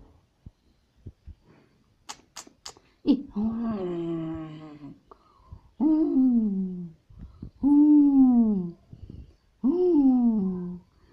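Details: Toy Pomeranian, curious and playing inside a cage at home in Kathmandu, Nepal, giving four drawn-out whining cries that slide downward, each lasting about a second, with soft clicks and a voice calling its name between them.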